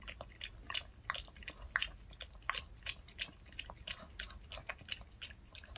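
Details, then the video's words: Pet dog Reka chews a store-bought handmade fish-shaped bun in a small room, giving quick, crisp, irregular crunches and wet smacking clicks at about one and a half per second, with no other sounds. "강아지 먹방 ASMR 붕어빵 fish shaped bun mukbang eating show"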